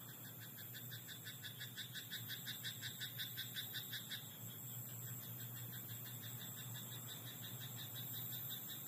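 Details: Frog croaking in a rice paddy at night: rapid, evenly spaced pulsed croaks in a rattling train from about one to four seconds, then softer, scattered pulses over a steady low hum and a thin high whine.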